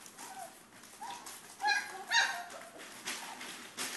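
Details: Young Pyrenean Mastiff puppies aged 3.5 weeks, Querida de la Tierra Alta litter, letting out short whimpers then two sharper high yelps near the middle, followed by quieter whines.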